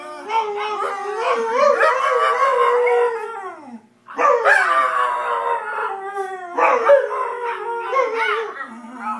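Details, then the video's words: Pet dogs Shanty and Yuna howl in chorus, two long wavering bouts of sliding, harmonic-rich tones split by a short silence around four seconds, the second bout breaking into shorter rising and falling notes. "Dogs howling funny"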